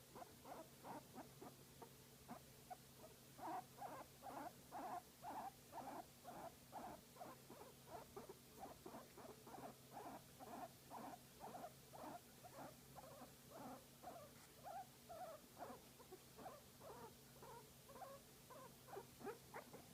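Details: Guinea pig being massaged keeps up a continuous chain of soft, throaty pulsed notes, roughly two per second, fairly even in loudness throughout, with low background hum.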